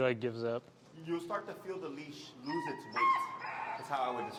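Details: Finnegan, an extremely vocal feral husky in Chicago, vocalizes while disagreeing with a behavior during heel training under pressure: a run of harmonic, wavering whines and howl-like moans rising and falling, with a human voice overlapping at times.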